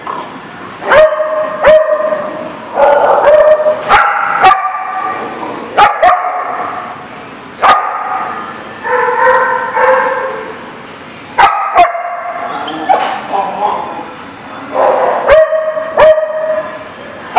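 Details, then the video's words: Dogs barking at a boarding lot, several animals yapping and barking in overlapping bursts with high yips and whimpers, loud sharp clicks and knocks scattered throughout. "The Barking Lot"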